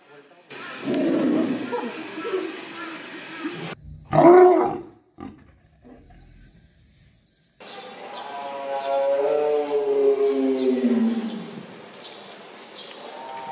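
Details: Zoo animals calling: a short, loud, rough roar bursts out near the four-second mark between abrupt cuts, later followed by a long harmonic call that wavers and slowly falls in pitch.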